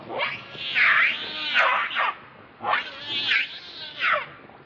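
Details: Baby monkey Leo, also called Rainbow, hungry and angry, crying to beg its mother for milk: loud, drawn-out wailing cries that rise and fall, several harmonic screams in under five seconds with short pauses between.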